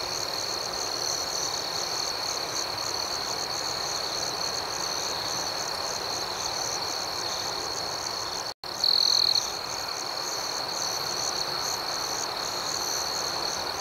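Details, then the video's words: Night ambience of chirping crickets, an unbroken high-pitched insect drone interrupted by a sudden brief cut, followed by one short louder trill before the steady chorus resumes. "Soothing Cricket Sounds"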